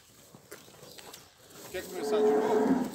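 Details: Nelore cows, part of a herd of 71 pregnant and recently calved cows in the Ribeirão Preto region, São Paulo, Brazil: men talk at first, then one drawn-out moo swells and holds steady over the last second, ending with a sharp click.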